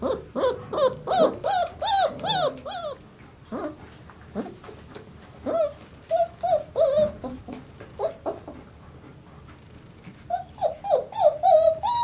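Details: Twenty-six-day-old White Swiss Shepherd pups from the 2019 Sienna/Valentino litter give a run of arched, rising-falling whines. The cries come several per second at first, turn sparser, then return in a rapid, loud series at the close.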